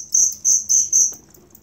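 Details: Cricket kept as tutor sound for songbirds: four short, shrill chirps in quick succession, bright and high, fading into quiet.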